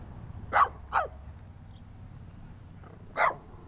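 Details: Small, dirty dog barking: a quick pair of sharp barks, a two-second pause, then one more harsh bark, in a quiet indoor setting.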